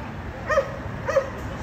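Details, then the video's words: Dogs barking at the 5600 Condo, a noise that disturbs the neighbours and recurs three times every day: two short, sharp barks about half a second apart over a steady low background hum. "Disturbing noise by Dogs barking"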